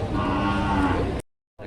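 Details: Cattle, breeding cows and heifers, at a livestock market in Padre Garcia, Batangas, Philippines, on January 3, 2025: a brief, dense lowing call lasting about one second, set among market crowd noise, then a sudden cut to silence.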